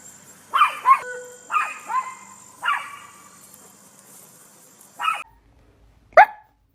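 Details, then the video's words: Poodle barking in an irregular series of about seven sharp, high yaps, some in close pairs, with a faint steady electrical whine behind them. "Poodle Barking Sounds"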